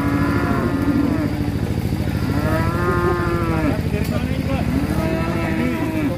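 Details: Large cattle being unloaded from a swaying truck: drawn-out, low moos that bend up and down in pitch, several overlapping one after another, over a loud, steady engine drone.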